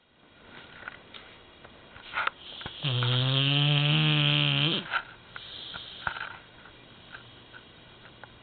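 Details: Indy, a two-year-old American Bulldog, snoring very loudly while asleep indoors: one long rasping, buzzy snore of about two seconds with a rich stack of harmonics, preceded and followed by quieter breathing and small clicks.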